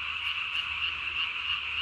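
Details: Japanese tree frog calling at night, throat vocal sac inflated to about its body size, filmed 3 May 2020; fast pulsed high-pitched croaking runs steadily without a break.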